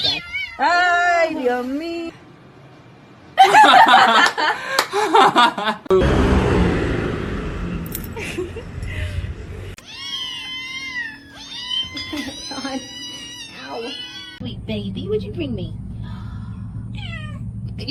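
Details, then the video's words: Kitten meowing and crying in short, rising-and-falling harmonic cries, repeated in bursts, with people talking and laughing over them and a thudding, noisy stretch between. "kitten meowing crying"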